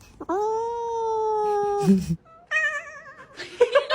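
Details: Domestic cat meowing indoors in a small room: a long, steady, tonal meow lasting about a second and a half, a brief rustle, then a shorter wavering meow and some soft scuffing at the end.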